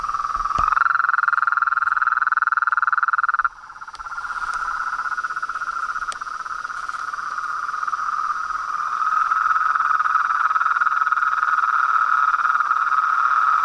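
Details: Nightfall chorus of frogs, toads and treefrogs at a pond beside a house: rapid pulsed croaking, roughly four pulses a second, forms a continuous mid-pitched drone that briefly breaks off, then swells back louder.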